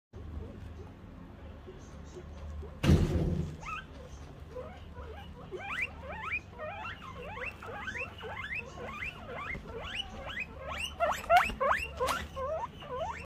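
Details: Pet guinea pig reacting when it hears the door open: after a thump, a rapid series of rising squeaky whistles, about three per second, grows louder and denser toward the end.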